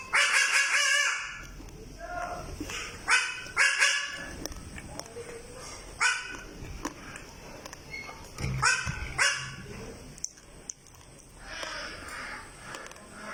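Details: Baby goat in the Philippines that barks like a dog: a burst of short, hoarse, dog-like barks at the start, then scattered single barks amid people talking and laughing.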